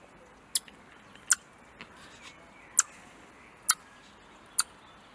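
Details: A hand-reared young Eurasian red squirrel, 49 days into rearing, gives sharp, clicking chucks about a second apart, upset at seeing a cat in the garden in front of her release enclosure.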